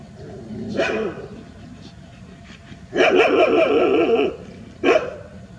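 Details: Rural street dogs gathered in a big group in a village: one sharp bark, then a loud harsh barking run lasting over a second, and a final abrupt bark, over low background noise.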